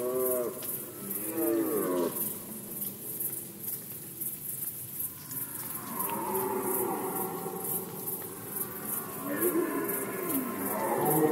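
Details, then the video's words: A rut-season red deer roar from Poland in 2020: an opening curved bellow, then after a pause a higher drawn-out groan and a final arching roar, set against continuous pulsing high-pitched ticking. "Rykowisko jeleni, Rut season of Red Deer"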